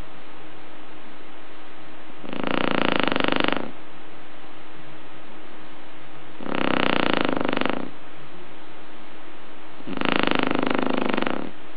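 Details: Asleep indoors, a Shar Pei snores in three long, grating, buzzy bursts spaced roughly four seconds apart, the middle one briefly broken, separated by soft breathing.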